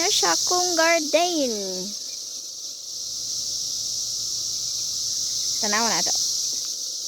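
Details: Cicadas in their 2021 emergence year: a steady, high, hissing drone runs through the whole recording, while wavering, sliding voice-like tones break in at the start and again near the end.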